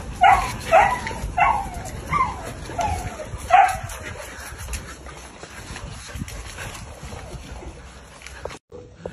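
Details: American Bully puppies adopted for a day, giving five sharp high yips in quick succession over the first four seconds, each with a short falling tail, then fading to quiet room noise.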